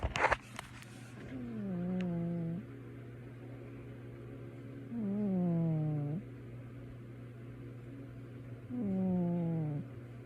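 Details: Sleeping male house cat snoring indoors: three drawn-out, nasal, slightly falling tonal snores about a second long, spaced roughly every three to four seconds, after a few brief clicks at the start, over a steady low electrical hum.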